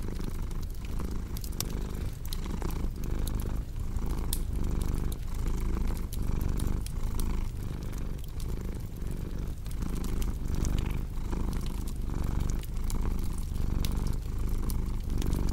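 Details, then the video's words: Domestic cat purring beside a cozy crackling fireplace: a deep, steady low rumble swelling and fading in regular breath cycles under a second apart, with sharp fire crackles and pops scattered throughout. "Purring Cat with Cozy Crackling Fireplace Sound"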